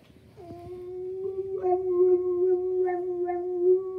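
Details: Boxer dog KG howling: after a brief quiet start, one long, steady, mid-pitched howl holds level for over three seconds with faint overtones, wavering slightly and swelling louder toward the end.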